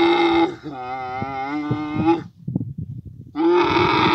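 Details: Camel in mating season in Abu Dhabi gives a drawn-out, wavering harmonic moan of about two seconds, then soft rustling and grunts before a second loud bellow starts.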